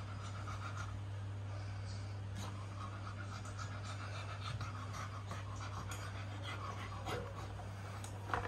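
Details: Beagle at a farm in Nakhon Nayok, Thailand, around the birth of its first litter of 2022, giving steady rhythmic panting, soft breathy bursts repeating over a constant low hum.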